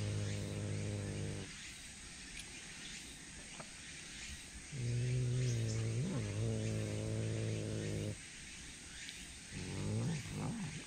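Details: Tsushima leopard cat at feeding time, Fukuoka City Zoo: three low, droning growl-like calls rich in harmonics. The first and last are short, the middle lasts about three seconds, and the pitch wavers, over faint background hiss.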